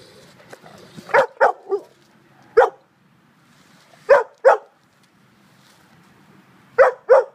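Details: Great Dane at play with a tow strap: loud, full-bodied barks in pairs and short runs of three, separated by quiet pauses of one to two seconds.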